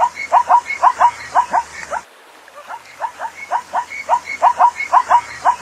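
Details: Repeated barking calls of a zebra: quick, nasal yaps in a steady series, broken by one short pause midway before the yapping resumes at the same pace.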